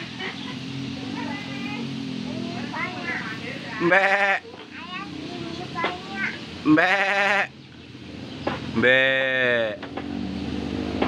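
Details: Goat being readied for the Qurban sacrifice, eating grass: three loud, wavering, quavering bleats spaced a few seconds apart, with people talking quietly between them.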